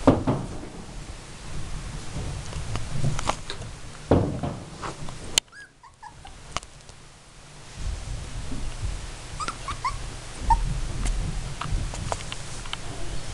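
Miniature Dachshund puppies give brief, high squeaky whimpers and yips over low rumbling handling noise.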